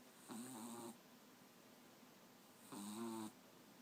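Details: Sleeping French Bulldog puppy beside his teddy gives two low, buzzing snores about two seconds apart, each under a second long, in a quiet indoor setting.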